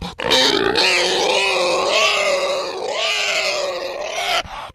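A pig gives a long, shrill squeal that wavers in pitch, harsh and strained throughout.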